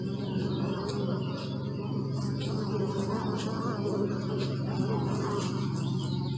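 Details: Bees buzzing in a steady low drone with layered humming tones that hold throughout, part of a half-hour recording; faint bird chirps and twitters sound higher above the hum.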